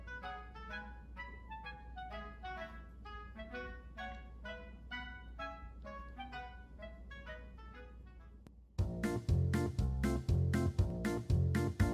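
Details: Instrumental music only, with soft woodwind-like notes in a steady rhythm, then louder, punchier chords from about nine seconds; no animal voice.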